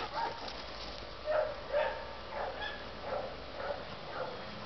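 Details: Teddy, a one-year-old Labrador Retriever needing a home, gives soft breathy bursts roughly twice a second in an irregular rhythm, while a person quietly praises him as a good boy.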